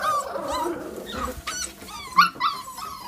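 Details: Staffordshire Bull Terrier crossed with Cavalier King Charles Spaniel, a pet dog, giving high whining whimpers that waver in pitch, then a sharp short yip near the end, with a person calling to it just before.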